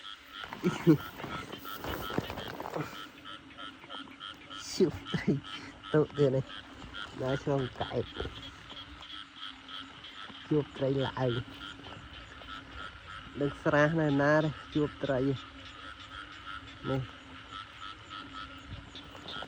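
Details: Frogs croaking at night after heavy rain: scattered groups of deep, rattling croaks, the loudest in a dense run near the end, over a continuous droning background and faint rustling.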